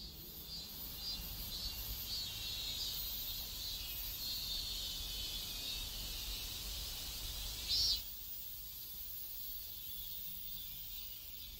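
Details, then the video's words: Cicadas in a neighborhood in South Korea: a steady, high, shimmering buzz runs throughout, with one brief louder burst near eight seconds before the drone settles lower, over a soft low rumble of distant traffic. "South Korean Neighborhood Sounds Cicadas"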